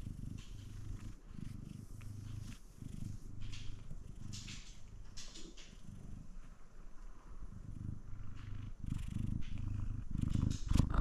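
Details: F2 Savannah cat Kumba, a sweet male, purring up close with low steady rumbling pulses, faint meow-like purrs mixed in, and a soft human voice at times.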